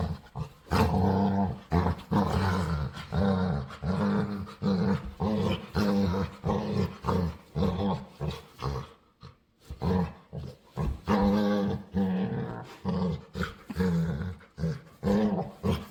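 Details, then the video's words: Playful pet dog begging to play, making weird noises: a long run of low, moaning, grumbling vocal bursts, some drawn out and some clipped, with short pauses between, over faint background music. "Cutest Dog Begs To Play | Adorable Dog And Human Compilation Video | Playful Dog Makes Weird Noises"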